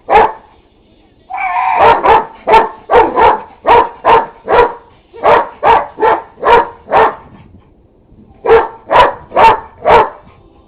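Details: Buddy, a neighbour's dog, keeps barking at an unplugged vacuum cleaner, giving a long run of about twenty loud, punchy barks in quick groups with brief pauses between.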